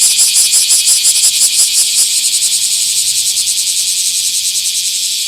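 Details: Bear cicada in a small park on 24 July 2026: a loud, high, grating buzz pulsed in rapid regular beats, the pulses blurring into a more continuous drone toward the end.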